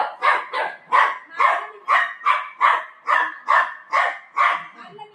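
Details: Dogs, a golden retriever and a shih tzu, fighting at home over their owner; rapid repeated sharp barks, roughly two per second, steady and insistent throughout.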